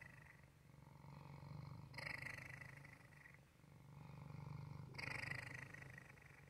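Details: Waffle, a male pet cat, purring: a steady low rumbling drone that swells and eases in breathing cycles of about three seconds, with louder, brighter phases near two and five seconds.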